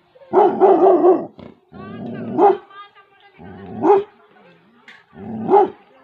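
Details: Female Labrador Retriever barking while guarding her territory in a village in Tehri Garhwal, Uttarakhand: loud, harmonic barks roughly every one and a half seconds, with lower, rougher sounds in between.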